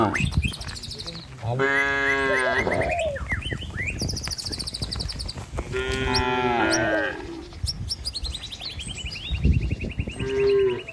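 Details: Tame cattle running in a herd to their pen along a village road in the morning; two sustained moos several seconds apart, with chirping birds and scattered footstep sounds around them.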